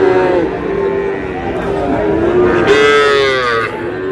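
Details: Sahiwal bull calves at a crowded cattle market near Pabna give a long, steady, droning moo with rich harmonics, rising toward the end, while men haggle loudly over prices nearby.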